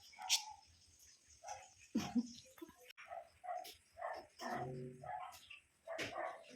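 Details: Angry Pomeranian barking at a cat that is just sitting there, trying to annoy it; short sharp yaps scattered through the scene, with a woman speaking Filipino between the barks.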